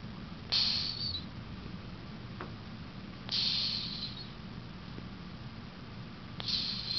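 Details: Cleo, an 18-year-old female pet cat, snoring in her sleep: breathy, hissing snores recur roughly every three seconds, each a brief airy rush that fades out, over a low steady background hum.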